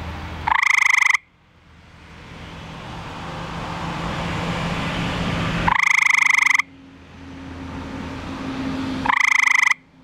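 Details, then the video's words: Male eastern gray treefrog calling for a mate at night, found in a backyard pool, three loud musical trills each lasting under a second, spaced several seconds apart, with a hissing hum between. "Male Eastern Gray Tree Frog Calling"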